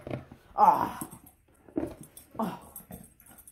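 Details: Male Alaskan Malamute vocalizing while eating butter pecan ice cream he stole after being left alone with it; three loud harmonic, moaning bursts about a second apart, with a person's voice nearby.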